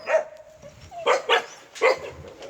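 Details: Korean Jindo dog barking: three sharp, clipped barks in quick succession after a short opening yelp, with a faint steady tone in the background.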